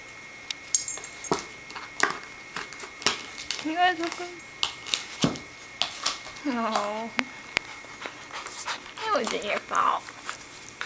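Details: Puppies in a playful showdown indoors: several high, wavering whines and yelps with a rising-falling whistly quality, spaced a few seconds apart, over clicks, thumps and a steady high electronic tone.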